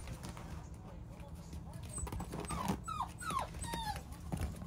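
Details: Plump little Beagle puppy gives a few short falling whines, high and nasal, clustered in the second half, over a low background hum and faint human voices.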